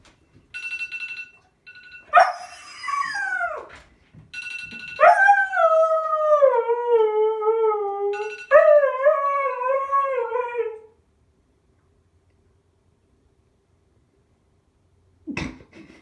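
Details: Loki, a 3.5-year-old male Siberian husky, argues with a ringing phone alarm: rising yips and whines answer the beeping tones, then two long quavering howls gliding downward, each a few seconds, before silence.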